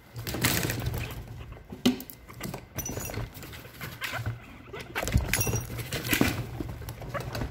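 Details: Three six-month-old male guinea pigs, caged brothers, fighting late at night; scuffling thumps and patter dominate, with brief high squeaks around the middle and latter part and a low rumbling underneath.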